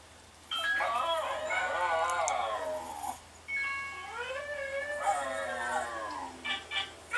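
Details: Pet Silky Terrier/Chihuahua cross named Daphne howling in long, quavering, harmonic notes that swoop up and down, two sustained phrases with a short gap, ending in a few brief higher yips.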